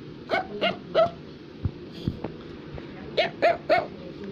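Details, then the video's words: Affenpinscher, a small toy dog breed, barking indoors: two short bursts of three sharp, high yappy barks about a third of a second apart, separated by a quiet gap with faint knocks and room noise. "Affenpinscher is Barking"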